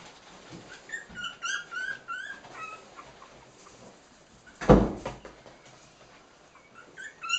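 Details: Cairn Terrier puppies, three weeks old, at play. Thin, high squeaks and chirps tumble quickly over the first few seconds, followed by a single loud thump and a few more faint squeaks.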